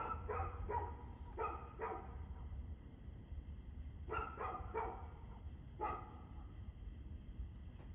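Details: Dog barking, recorded 2/6/2024 at 6:02 pm: sharp barks come in quick clusters of two to four, with a pause around the third second, over a steady low rumble of background noise.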